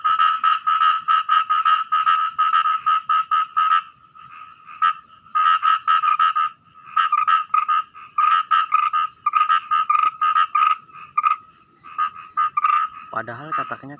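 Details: At night while fishing, a small frog gives rapid, rattling croaks in long repeated bursts, surprisingly loud for its size.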